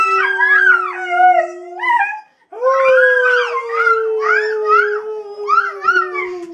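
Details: Three dogs, Henry with Sid the Dog and Rocky, howl in chorus in early April 2011. A level, drawn-out low howl runs under quavering higher voices that swoop up and down. The chorus breaks off briefly, then resumes stronger.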